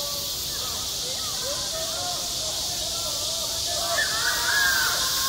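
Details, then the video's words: Cicadas singing in midsummer at a school playground, a steady hissing, high-pitched drone filling the air without pause, while children's voices chatter and call out faintly underneath. "한 여름 운동장에서 매미가 울고 있다 - 여름의 소리, 학교 종소리, 매미 울음소리"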